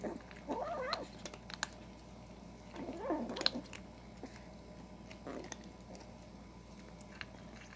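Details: Kitten growling while eating: two wavering growl-yowls about two seconds apart at the start, then mostly chewing and crunching clicks with a faint steady hum behind.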